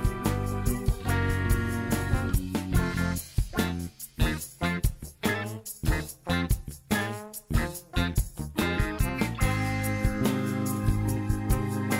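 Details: Upbeat swing-style instrumental music with bass and steady percussion plays throughout, with no animal sound.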